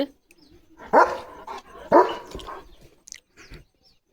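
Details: Leo, a pet German Shepherd, gives two loud, rough barks about a second apart, each trailing off, followed by a few softer, short yelps near the end.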